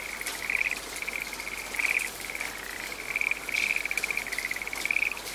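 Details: A frog calling in a rainy forest: short bright trilled bursts at irregular intervals, roughly one or two per second, over a steady hiss of falling rain.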